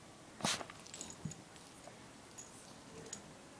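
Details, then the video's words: Luigi the pet dog lets out one abrupt, airy sneeze at the start, followed by a few soft snuffles and light clicks indoors. "Cute Sneezing Dog Luigi"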